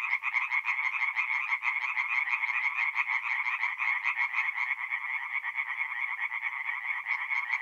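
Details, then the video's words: Nocturnal chorus of tree frogs at a forest pond in north-east Italy in mid-April: overlapping rapid trains of grating croaks, roughly one and a half pulse groups per second, loud and constant. "relaxing forest pond by night with singing tree frogs"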